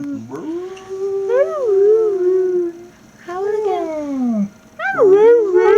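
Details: Siberian husky puppies giving baby howls: three wavering, tonal howls, each rising then sliding down, with a short gap between them. A person speaks nearby.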